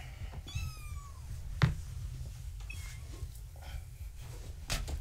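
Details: Gaia's kittens, born March 14, 2017, at bedtime in their pen with their tabby mother. One clear falling meow early, then a fainter short cry, amid soft human talk and handling noises.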